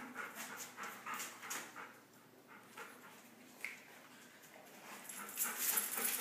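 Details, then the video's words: A big dog and a little dog in rough play, heard as rhythmic panting pulses about three per second, then a quiet stretch before scuffling sounds return at the end. "Big dog vs little dog"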